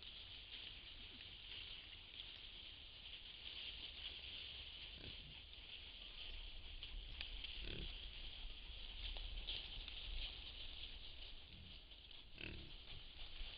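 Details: A wild boar scratching itself against a tree gives low grunts amid rough rubbing and scraping noises, over a steady high insect hiss.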